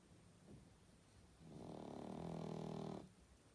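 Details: Sleeping pug snoring indoors: one long rasping snore about one and a half seconds, rough and low with buzzy harmonics, rising in loudness then stopping abruptly, preceded by quieter breathing.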